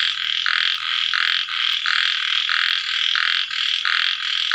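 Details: After rain, as night falls, small frogs keep up steady grating croaks, regularly pulsed about one and a half times a second, overlapping into a thick unbroken chorus.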